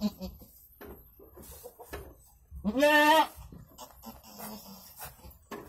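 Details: Goat bleating while giving birth to two kids: one loud, quavering bleat about half a second long stands out amid soft background talk and handling noises.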